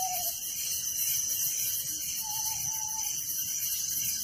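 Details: A steady, high, pulsing chirp of many crickets fills a village night, with a brief falling whistle at the start and a longer level whistle midway.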